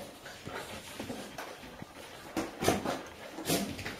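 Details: A five-year-old female Golden Retriever and her daughter's 8-week-old puppies in a playpen in Haute-Savoie, France, October 2013, the puppies following her for milk. Irregular breathy panting with brief whines and louder bursts of scuffling movement.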